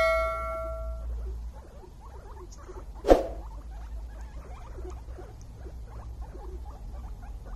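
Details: Happy guinea pig giving many short, soft squeaks in quick, uneven succession. A steady electronic tone sounds at the start and a sharp click breaks in midway, over a low background rumble.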